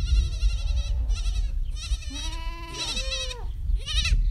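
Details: Goats at a goat yoga gathering on a ranch in Brighton give a run of nasal, wavering bleats, several short and one drawn out over a second, over a steady low rumble.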